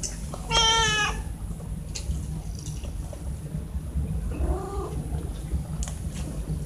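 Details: Morning feeding of pet cats, put to a test of opening a lidless container; a loud harmonic meow near the start, then a softer, lower meow about four seconds later, over steady low hum and small clicks.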